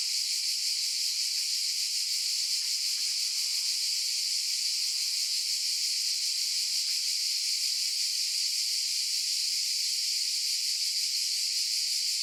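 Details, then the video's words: Unbroken, hissing, high buzz from cicadas, constant in pitch and volume throughout, with no other sounds. "Cicadas Noise Sound Effect"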